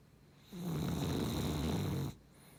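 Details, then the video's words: Dog of Beagle and Cavalier parentage giving one long, deep, vibrating snore of about one and a half seconds, then quiet. "いびき犬 ビーグル✖️キャバリア"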